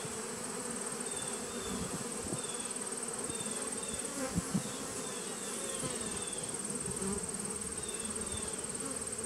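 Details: Honey bees humming at a nuc colony on 19 September 2018, an even, dense low buzz with a few brief louder passes of individual bees near the middle.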